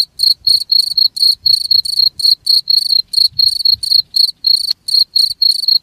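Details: Steady cricket chirps, high, ringing and pulsed, repeating roughly three times a second in an even stream. The recording is intended for playing where rats gather to keep them away. A soft low murmur sits underneath.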